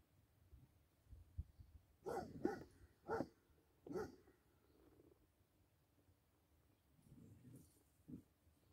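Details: Basset Hound playing with a deer, giving four loud deep barks close together around the middle, then quieter huffs and a short final bark after a pause.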